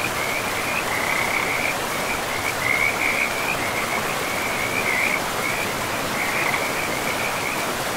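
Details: Beside a river in a pristine forest, frogs keep up a nearly unbroken high trilling chorus with brief pulses of louder calls, backed by the even roar of the flowing stream.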